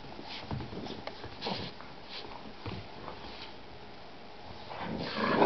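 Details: Boston bulldog and Shar-Pei mix puppy playing indoors: soft scuffling and short snuffling grunts in scattered bursts, ending in a louder rising whiny growl.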